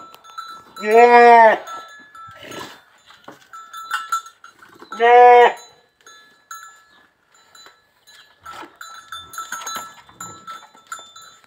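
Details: Goat at a breeding session crossing a large Boer buck with a Jamunapari doe: two loud, wavering, harmonic bleats about four seconds apart, each lasting about a second, with a steady tonal hum and faint clatter between.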